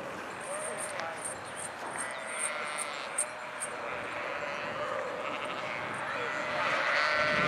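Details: A flock of sheep bleating: a few wavering, harmonic bleats rise over a steady background hum, with a brighter call near the end and faint rhythmic ticking high above.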